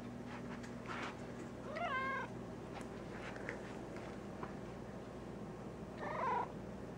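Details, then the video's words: Black domestic cat in a basement giving two drawn-out, wavering meows about four seconds apart, over a steady low electrical hum and faint room noise. "Basement Cat Sings"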